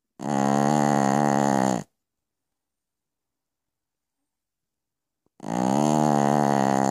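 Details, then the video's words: Sleeping Pekingese Piccolina snoring in the night: two long, loud, gravelly snores of about one and a half seconds, separated by three and a half seconds of stillness. "Piccolina Pekinese schnarcht in the Night."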